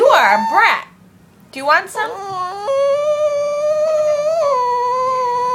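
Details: Bella, a pet dog wanting her bone back, indoors: a few quick rising and falling whimpers, a short pause, then a long, steady, slightly wavering whine held for about three seconds.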